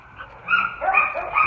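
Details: About three-year-old German Shepherd/Coonhound mix male dog produces a drawn-out, wavering whine that swoops up and down over a second and a half, with faint background noise.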